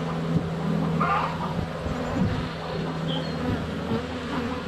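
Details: Low droning buzz of many honey bees flying around a hive entrance in sunny February weather, captured up close by a GoPro Hero 7 Black, with a few soft birdsong chirps over the hum.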